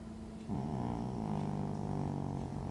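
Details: Snoring from Teddy, a relaxed lilac British Shorthair and Supreme Grand Champion (TICA), at home: after a quiet start comes a deep, steady, buzzing drone with a voiced, throaty tone, held for about two seconds.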